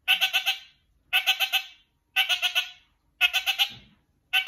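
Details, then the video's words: A kakariki calling to another: bursts of four or five rapid, nasal chattering notes, each burst repeated about once a second, loud and clear with no other sounds. "Kakariki Bros. Lemon calls Pineapple"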